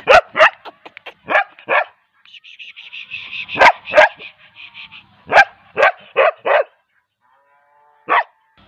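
A young Bull Terrier gives sharp, high barks in quick bursts, with a thin whine in between.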